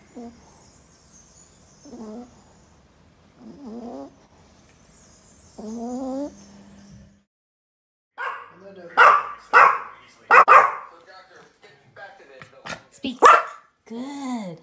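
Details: Yorkshire Terrier giving several short whining, howl-like tones with stacked, wavering pitch, then a burst of loud, sharp yips and barks in quick succession, with brief quiet gaps between.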